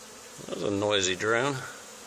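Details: A single honey bee from a swarm on an old barn wall flies close. Its loud, pitch-shifting buzz rises and dips over about a second, set against the softer drone of the swarm.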